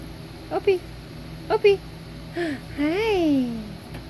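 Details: Puppies Ginger, a little girl, and Opie playing indoors while Opie is urged to be gentle: two short high yelps, then a longer whine that rises and falls before sliding down, over a steady low hum.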